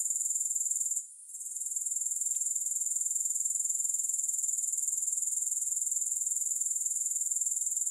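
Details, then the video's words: Grasshoppers with no music: a steady, very high shimmering insect trill pulsing about four times a second. It drops out briefly near the one-second mark, then resumes unchanged. "Grass Hopper Sounds"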